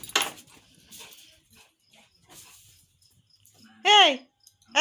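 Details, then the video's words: Beagle barking loudly: one strong, rising-then-falling harmonic bark near the end, with another cut off at the close; quiet Bengali speech and faint clinks come earlier. "beagle dog barking loudly"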